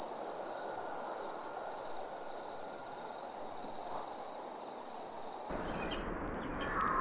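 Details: Summer cicadas in a steady, high, narrow-pitched drone that holds unbroken for nearly six seconds, then cuts off abruptly as the background shifts to a rougher, brighter hiss.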